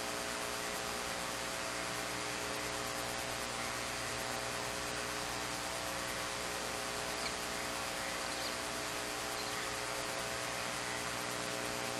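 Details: Steady broadband hiss with a low electrical hum, and no animal calls heard.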